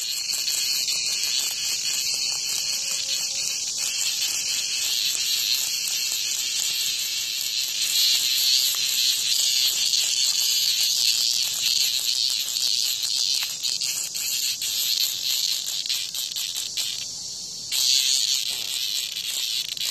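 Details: Cicada at a house front being attacked by a hornet; sustained high-pitched shrill droning that swells slightly midway, with a brief break and an abrupt return near the end.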